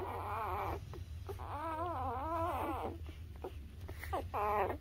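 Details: Newborn puppy, birth to three weeks old, recorded indoors: drawn-out wavering whines about a second long, rising and falling in pitch, separated by short pauses, over a constant low hum.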